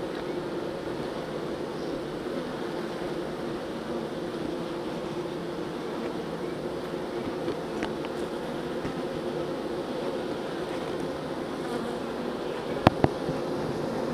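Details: Honeybees being moved from a nuc into a hive: a steady, dense buzz of many bees humming continuously throughout, with a few sharp clicks and knocks near the end.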